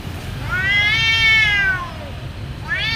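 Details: Domestic cats fighting fiercely; one long, harmonic-rich yowl that rises and then falls over about a second, followed by the start of another rising wail, over a low background rumble.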